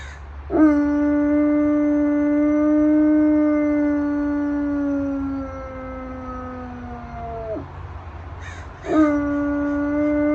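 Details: Pet dog howling in response to sirens and fire trucks: one long steady tonal howl of about seven seconds, slowly falling then dropping at the end, and a second howl starting near the close.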